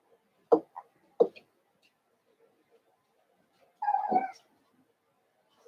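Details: Two quick sharp yelps near the start, then a longer whiny, wavering cry, from Cavalier King Charles Spaniel puppies (Daisy's six and Robin's two pups together) playing in a room.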